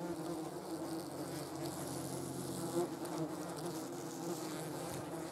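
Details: Yellow jackets at a jar of jam make a steady, dense, low buzzing drone of overlapping wings, with a short louder swell midway.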